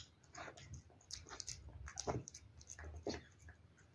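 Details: Cat eating wet food, recorded close up: soft wet chewing and biting clicks in uneven bursts about once a second, with a few louder smacks near the middle and end.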